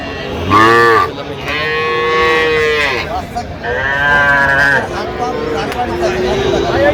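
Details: Sahiwal bull and heifer calves at a cattle market in Madaripur, Bangladesh, recorded 13 January 2026: several harmonic moos and bawls, some rising then falling, overlapping one another amid a busy, noisy crowd.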